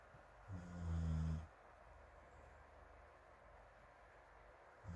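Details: Dog Morimori snoring on a sofa in a fan's breeze in Hamanaka, Hokkaido, on 21 June, sleeping among other dogs including rescued feral puppy Taisetsu, heard from a distance: one deep, rumbling, harmonic snore near the start, another beginning at the end, over steady fan hiss.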